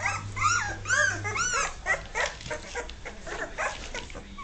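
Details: Several Dogue de Bordeaux puppies at two and a half weeks old, finding their feet; arched, whistled whimpers sweep up and down in quick bursts, overlapping one another, over a low electrical hum.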